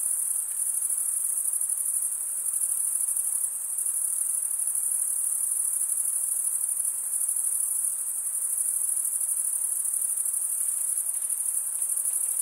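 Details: Chirping crickets, sound created by wing-on-wing stridulation. A bright, constant, very high drone rings on with quick flutter-like pulses and a brief slight dip in volume, alone with no other noises.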